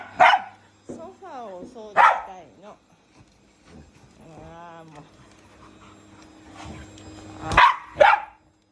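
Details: Dogs, a Shiba Inu and a Labrador, at home barking while a vacuum cleaner is used: sharp loud barks at the start, around two seconds, and a close pair near the end, with a tonal whine and faint talk between.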